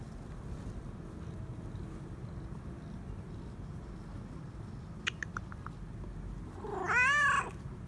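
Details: A male stray cat, demanding attention and petting, gives a single loud, wavering meow near the end after a long quiet stretch, preceded by a few brief tapping clicks over steady low background noise.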